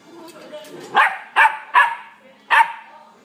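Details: Sable and white male Welsh Corgi born 27 March 2016, at a pet shop, giving four short sharp barks in quick succession, roughly evenly spaced over two seconds, with faint background noise.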